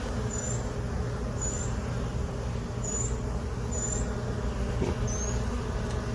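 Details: Honey bees humming inside their hive box during an afternoon inspection, colony settled in since late April 2022; an even low drone fills the clip while faint high chirps repeat roughly every second in the background.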